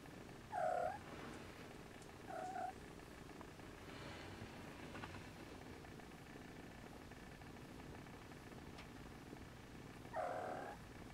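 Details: Siamese Snowshoe kittens nursing: three short high mews, at the start, near two and a half seconds and near the end, over a steady low purr-like rumble.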